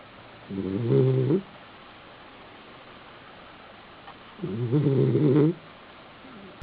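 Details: A male Basenji sleeping on his back in an apartment in South Park, Pennsylvania, snores, each low, rumbling breath lasting about a second and recurring every four seconds.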